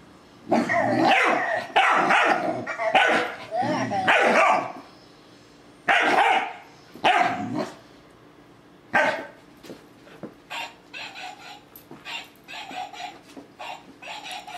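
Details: Doberman puppy going after a talking toy ball, with a fast run of loud, rough barks and snarls at first, then fewer barks as the toy's chattering electronic voice carries on in the background.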